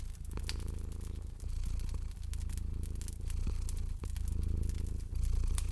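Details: Domestic cat sleeping by a crackling fireplace in a cozy spring setting, purring in a low, steady rumble that swells in breath-length cycles of about a second, with sharp pops and crackles of burning wood throughout.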